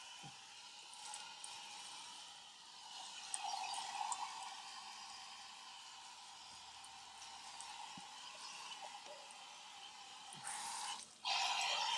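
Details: Water sprays and trickles steadily at an outdoor washing station, ending in a louder gush, with no animal calls.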